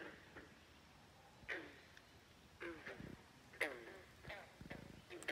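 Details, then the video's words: Frogs at Great Falls National Park, McLean, Virginia, give rough, ratcheting croaks roughly every second, each a quick burst of clicks, with a low rumble faintly underneath. "Frogs Croaking at Great Falls National Park in McLean, Virginia. Non-stop croaking"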